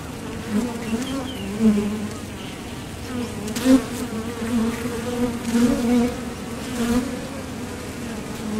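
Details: Foraging honeybees at the mouth of a Top Bar Hive produce a steady layered hum, punctuated by several short, louder buzzes of bees landing or departing, plus faint clicks.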